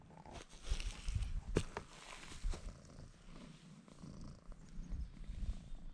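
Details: Bruce, a pet cat, purring while rubbing against a man's legs; a steady low rumbling purr runs throughout, broken by a few sharp clicks and bumps of movement.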